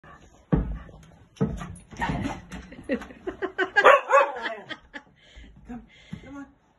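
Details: A golden cocker spaniel playing with a giant bouncy ball gives a quick run of sharp barks and yips, with a human voice and laughter alongside.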